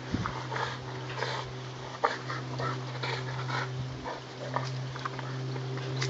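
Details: Boxer dog trying to get his tyre, giving soft broken whimpers and snuffling breaths in short bursts, over a steady low electrical hum indoors.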